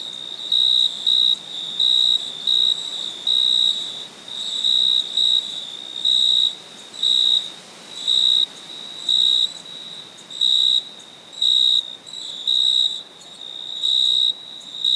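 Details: At night, a cricket chirps in steady pulsed bursts of a pure, high trill, repeating about once a second.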